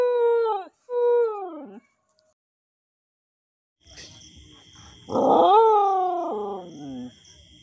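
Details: Dog howling: two long wavering howls, each sliding downward, then a pause, then a louder howl that rises, holds, and falls away in steps, with a steady high tone in the background.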